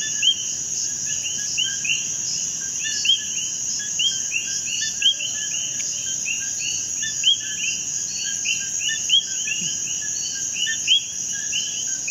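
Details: In Puerto Rico, a dense chorus of common coquí frogs (Eleutherodactylus coqui) gives sharp, rising two-note whistles over a steady high insect hum.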